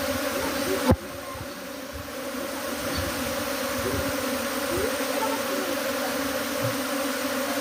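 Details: Honey bees swarming from a hive to a tree, a dense steady drone of many wings humming continuously, with a brief sharp knock near the start.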